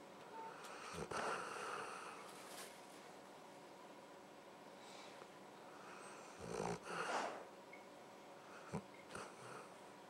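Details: Luke the dog asleep and snoring indoors. Breathy, wheezing snores come in separate bursts, one early and a stronger double snort about six seconds later, with small snuffles and quiet stretches between them.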